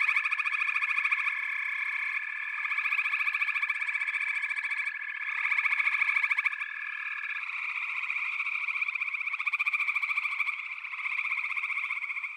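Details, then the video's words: Frog chorus from a backwater: a dense, rapidly pulsing trill with a steady sustained tone beneath it that drops away partway through, swelling and easing in waves. "FROGS - Pig Frogs, Water Frogs, Backwater Chorus, & Frog Chorus"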